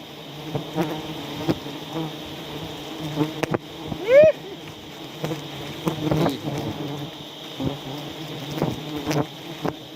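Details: Honey bees in South Aceh, Indonesia, at a wild honey harvest where a person was stung while setting things up; a steady low droning hum runs throughout, with one short rising human voice and scattered clicks and knocks.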